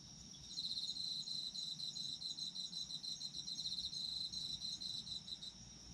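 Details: Night chorus of autumn insects: dense, rapid pulsed chirping held high and nearly unbroken for several seconds, layered over a steady shrill trill and faint low noise.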